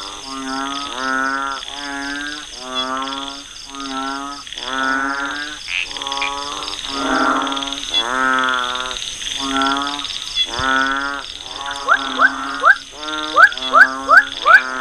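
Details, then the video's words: Unnamed frog species from a frog call identification demonstration: rhythmic series of harmonic, nasal croaks repeated roughly every second, then shorter rising upswept notes near the end, with a steady high-pitched electronic tone behind. "Intelligent Frog Species Identification System Based on Frog Call"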